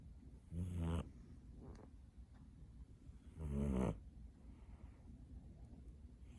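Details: Kitten asleep and snoring: two rough, rattling inhalations roughly three seconds apart, each lasting about half a second, with near silence and soft breathing between them.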